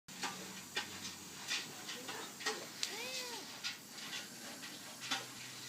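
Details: Friendly stray cat asking for attention and to be petted, rubbing up and begging; one short, arched, young-sounding meow midway, among soft rustling and tapping noises.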